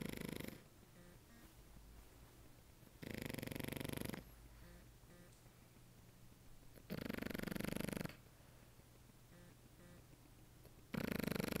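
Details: Sleeping French Bulldog snoring indoors: loud, harsh, broadband snorts lasting about a second each, spaced roughly every three to four seconds, with quieter rhythmic breathing and a low steady hum between them.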